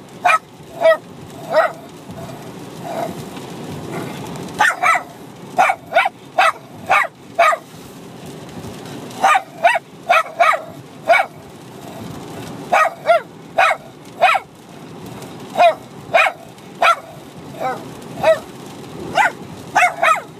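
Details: Two Bichon Frise dogs, a six-month-old puppy and an older dog, play-fighting and barking at each other nonstop; short high yaps repeat in rapid pairs and runs, with growly grumbling underneath throughout.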